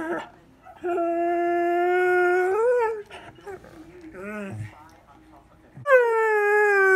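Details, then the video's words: Morning howling from Bandit, a 4-year-old greying borzoi who talks with his owner: a long flat howl ending in a wavering upturn, then softer broken whimpering sounds, and a fresh howl starting high and falling. "Bandit talks and sings! Borzoi howling"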